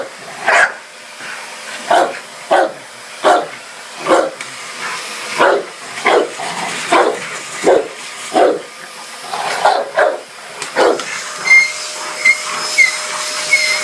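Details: Dogue de Bordeaux barks repeatedly at a hoover, a rapid run of short booming woofs for about eleven seconds before the vacuum's whine and hiss take over at the end.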